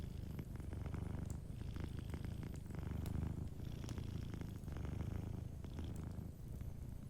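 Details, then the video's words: Strong, close purring from a sleeping cat next to a crackling fireplace, a rich low rumble pulsing with each inhale and exhale, light popping of the fire beneath. "Warm Fireplace Ambience with a Sleeping Cat 🐱💤Fireplace & Soft Purring"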